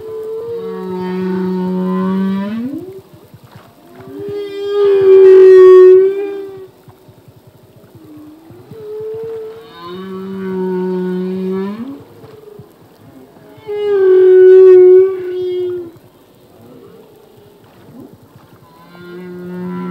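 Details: Singing male humpback whale in open ocean: repeated phrases alternating a low droning moan that climbs sharply at the end with a loud, bright, wavering harmonic cry, each pattern recurring roughly every ten seconds, plus brief upswept chirps between.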